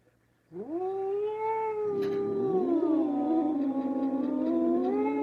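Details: Domestic cat giving one long, drawn-out, wailing meow that lasts about five seconds. It starts abruptly, holds a fairly low, steady pitch, and wavers slightly throughout.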